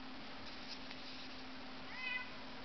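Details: House cat indoors, one of several kept pets, giving a single brief, faint rising meow near the end, set against a steady low electrical hum and quiet room noise.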